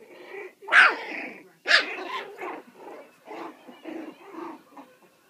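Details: Puppies four weeks and four days old playing loose: two sharp, loud yelping barks open, followed by a run of softer, rough growly barks and grumbles at an uneven pace, with a quiet room behind.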